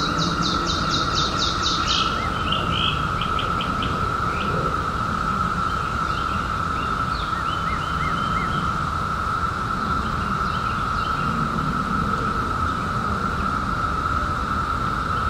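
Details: Cicadas emerged in 2021 after seventeen years underground, heard on a summer night as a steady, unbroken mid-pitched droning hum; bursts of chirping birdsong rise above it in the first seconds, with low rumbling background noise.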